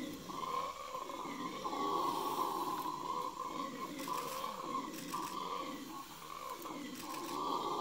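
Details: Red howler monkeys in Yasuni National Park, Ecuadorian Amazon Basin, near Napo Wildlife Center, 21 November 2018, roar in a deep, continuous, rumbling chorus that swells and fades without pause.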